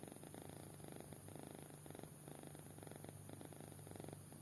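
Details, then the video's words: Sleeping kitten snoring deeply: soft rhythmic breathy rasps in pulsed bursts about every half second, a steady low hum underneath, recorded indoors. "Anak Kucing Tidur Pulas Sampai Ngorok"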